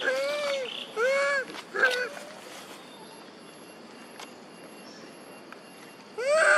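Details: Monkey mothers Duchess and Queen cry and call for their baby Quinton: three quick arched, tonal wails in the first two seconds, a quieter pause, then one more loud harmonic cry at the end.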